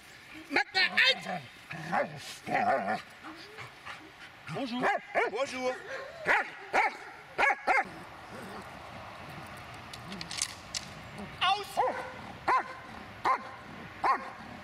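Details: Dobermann aged eight and a half years gives repeated loud barks in quick runs, with short gaps between bursts, while a person talks over and between them.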